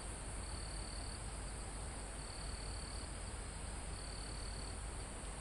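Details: Crickets in a forest near the top of a mountain, recorded live: three thin, high, even trills of under a second each, separated by short pauses, over a steady rush of calm wind through foliage and trees.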